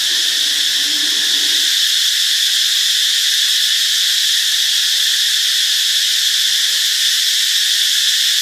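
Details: Continuous loud buzzing of cicadas in Ubon Ratchathani, Thailand, Friday, March 26. The sizzling drone holds level throughout while a soft low murmur is heard only during the first two seconds.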